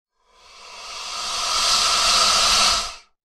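An alligator gives one long, breathy hiss lasting about three seconds. It swells gradually, holds steady, then cuts off sharply, with no other sounds heard.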